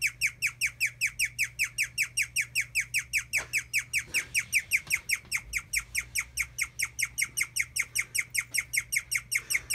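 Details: An old guinea pig chirps in a fast, steady run of high, bird-like notes, each sliding downward; guinea pig.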